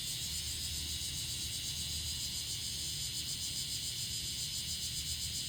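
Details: A bear cicada gives a loud, continuous shrill buzz with fast, regular pulsing of about three beats per second. A softer low rumble sits underneath.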